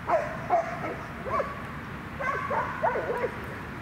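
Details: Fearful, reactive 1-year-3-month-old Retriever mix on a leash during high-distraction training at Newtown Dog Park in Atlanta, as a loose dog passes: short high yelps and whiny yips in uneven bursts, about seven over four seconds.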